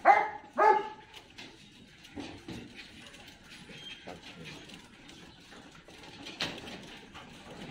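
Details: Belgian Malinois named Ammy, a pet dog at home for a microchip implant, gives two sharp barks near the start, then quieter whimpering noises and faint rustling follow over low background hiss.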